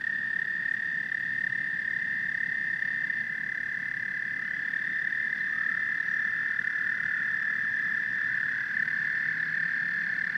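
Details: Dense chorus of frogs and toads, an unbroken high-pitched trilling drone with scattered softer croaks woven in and a low crackling background throughout.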